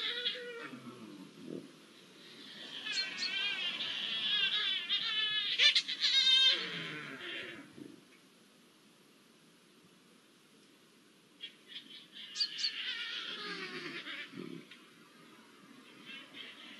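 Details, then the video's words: Pair of Iberian lynxes copulating on 05-01-24: two bouts of high, warbling caterwauls with vibrating harmonics, separated by several seconds of near silence, with low grumbling notes underneath. "SONIDO DE LINCES COPULANDO"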